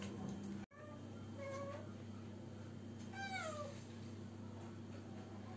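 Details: A cat unable to find a mate gives a run of meows: two short, level cries, then a longer one that rises and slides down. A sharp click comes early, over a constant low indoor hum.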